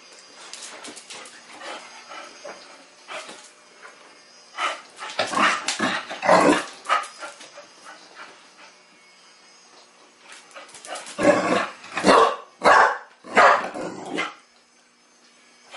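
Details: Chow Chow puppy named Sasha, teething, playing for the first time with a mechanical ball indoors; short bursts of yapping barks and whimpers come in clusters, loudest around six and twelve seconds, with quiet rustling between.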